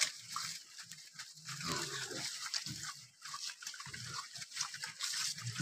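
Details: Morning activity of wild boar: repeated low grunts and snuffling bursts come in quick succession amid rustling and a constant high hiss in the background.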